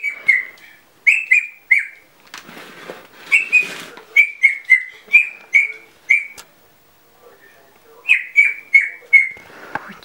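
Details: Yorkshire terrier puppy, born with short vocal cords, barking in a parrot-like way: high, squeaky, falling yelps in quick runs of two to four, a brief burst of rustling noise, a pause, then another run of yelps.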